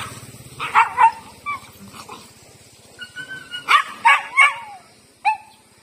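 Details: Dogs in a street encounter, a big street dog pursuing Lucky, a female pet dog who rejects him: irregular sharp barks mixed with high, sliding whines and yelps, in several bursts.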